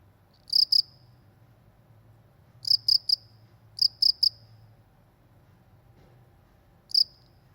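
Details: Cricket calling in the Indonesian countryside: high, sharp chirps in quick bursts of two or three pulses, spaced by pauses of one to two seconds, over a faint low hum and otherwise quiet rural background.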